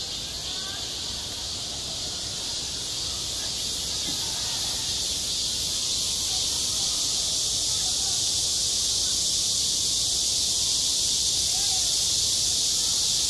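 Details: Cicadas singing at a school playground in high summer: a dense, unbroken high-pitched hiss-like buzz that holds steady throughout, with a slight pulsing shimmer at the top, and faint murmuring sounds far beneath.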